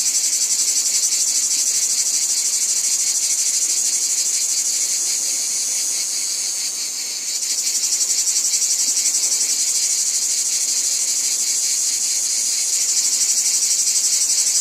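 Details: In a wheat field, cicadas keep up a high, sizzling buzz pulsing several times a second; the chorus briefly softens near the middle before swelling again.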